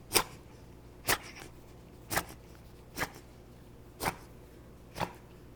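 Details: Female beagle with bronchitis, two days into antibiotic and antihistamine treatment, gives short harsh breathy coughs or wheezes about once per second, six bursts in a row, in a small quiet room.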